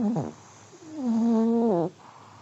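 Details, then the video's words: Sleeping elderly Pomeranian, male, snores: a short low squeaky catch at the start, a pause, then a longer level humming tone that bends upward at its end before fading to quiet. "(sleeping dog snoring) 睡眠用おじじポメのイビキ"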